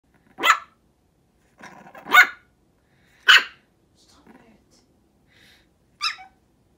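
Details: Shih Tzu x Maltese puppy, female, on her first morning at home, barking because she wants to come up on the bed; four sharp barks spaced irregularly over about six seconds, with faint soft sounds between them.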